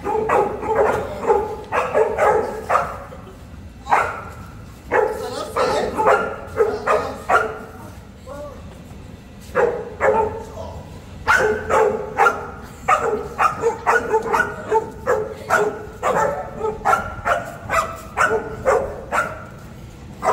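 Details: Boerboel, South African Mastiff, one of a male and female pair living in Egypt; loud, deep, rapid barking in long runs of several barks, with short pauses between the bursts.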